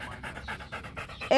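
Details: Macho, a Rottweiler kept as a pet, panting while playing fetch: quick rhythmic breathy bursts, about four per second, with a brief louder sound at the end.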